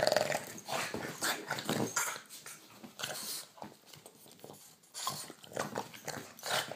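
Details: A Boston Terrier gives low, rough growls in short, broken bursts while biting a hand at night, with soft rustling close by.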